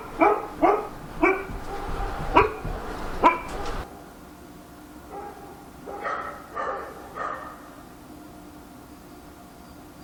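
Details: Dog barking at night in Korea, a quick run of sharp barks in the first four seconds, then a pause and a few more scattered barks against a steady low background hum.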